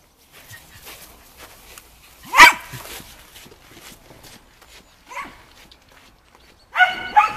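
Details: Shaun, a Shetland Sheepdog, in agility training on the dog walk with running contacts, 11.11.2013: sparse barks, a loud single bark, then a softer one, then a quick double bark at the end, with quiet handling noise between them.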